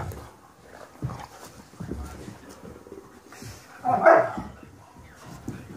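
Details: A Weimaraner gives one short, mid-pitched bark amid soft scuffling as an adult dog tells two playing puppies to calm down and they submit.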